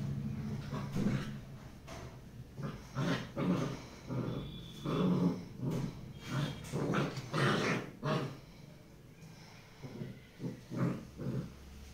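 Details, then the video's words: Tibetan Mastiff puppy growling in a long series of low, rough pulses, about a dozen bursts spaced roughly a second apart, some rising into short grumbling yelps. "Tibetan mastiff puppy"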